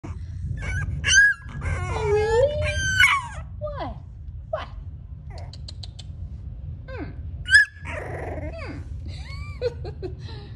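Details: A French Bulldog puppy whines and grumbles in rising, yodel-like protest at not getting its way.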